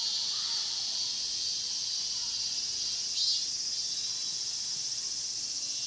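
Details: Cicada chorus in a pine grove at Mokgye, Cheongsong, Korea: a steady, continuous high-pitched hiss-like drone with a brief louder burst midway, no other clear sounds.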